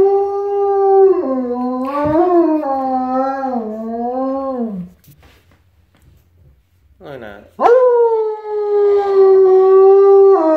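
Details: A wolfdog in the morning, calling for his breakfast, gives long, wavering howls that slide gently up and down, answering a fennec fox calling back to him.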